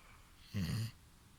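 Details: A five-year-old female Golden Retriever named Hana snores while asleep, sounding like a human. One short, rough, low rumbling snore of about a third of a second rises out of a quiet room.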